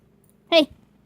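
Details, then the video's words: Shania, a pet dog scolded for talking back, answers a person with one brief whiny harmonic bark, bent slightly in pitch, inside a quiet room. "Shania dog gets in trouble for talking back"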